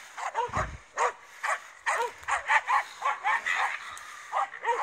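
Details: Finnish Spitz confronting a raccoon dog, giving a run of sharp, high barks, each with a rising-then-falling bend, repeated roughly every half second with short pauses between bursts.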